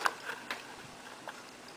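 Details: African clawed frog (Xenopus laevis), song.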